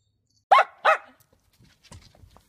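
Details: Miniature dachshund at play gives two short, loud, sharp barks about half a second apart, then a few faint rustling sounds.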